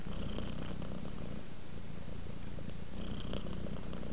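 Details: A relaxing domestic cat purrs steadily, a deep low rumble pulsing in quick succession with faint breathy rises near the start and again after three seconds; no other sounds intrude.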